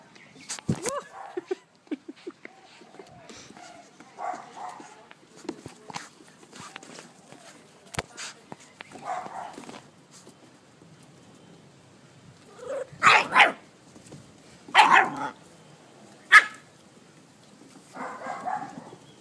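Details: Anzu, a dog, vocalizing in short loud bursts: a sharp bark near the start, then clustered barks around thirteen to sixteen seconds, mixed with quieter whimpering sounds and human speech throughout.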